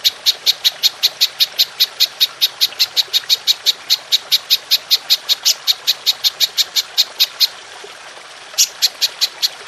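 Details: Golden grasshopper call played as songbird training material: rapid high clicking chirps repeated about every quarter second, halting for roughly a second before starting again.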